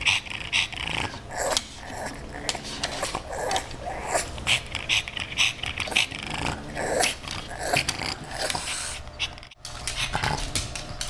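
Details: Rudy, a female pug, wanting to play with Ms. Creamy the kitten: snorty, rasping growls and huffs come in quick irregular bursts, with short breathy snuffles between them.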